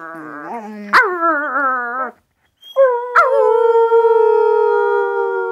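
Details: Young puppy howling, only its second time: a wavering, slightly falling howl breaks off, then a long sustained howl with a sharp onset glides down and holds steady to the end.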